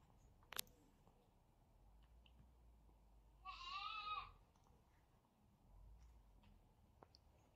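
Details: Kitten Zerro tussling with a brother kitten: one drawn-out meow, high and harmonic, rising then falling over about a second midway through, with a sharp click near the start and another near the end against a quiet background.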